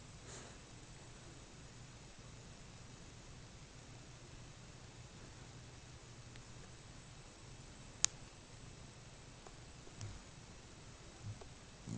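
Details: A quiet indoor room with a faint low steady hum and a few sharp isolated clicks, with no animal sound present.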